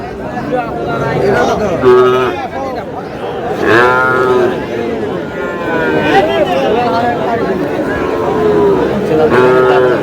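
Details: Sahiwal breed bull calves at a market where a Sherpur farmer buys cattle: several short, strained moos about two seconds apart, with steady talk and bustle of people around.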